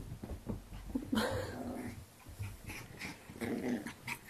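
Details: Eight-week-old female Bichon Frise puppy named Tink, indoors during a game of fetch, gives low rumbling growls in short bursts, with a brief higher whine in between and scuffling noises of play.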